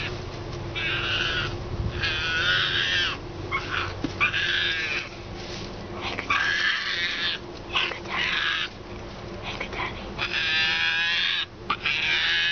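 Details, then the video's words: Hand-reared baby female striped hyena, frightened by one distrusted person and hiding defensively behind two chairs, gives high, squealing whines in bursts of about a second, repeated with short pauses throughout. "Baby hyena gets scared and makes adorable sounds"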